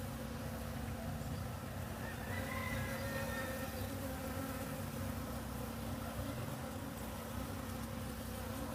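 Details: Bees in agricultural fields in Guatemala give a steady, low droning buzz with layered humming tones over open-field ambience.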